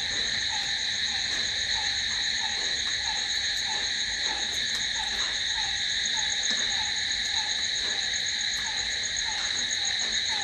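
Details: Crickets at night, filling the air with a steady, unbroken high-pitched shrill in layered bands, while a lower short falling note repeats about three times a second underneath throughout.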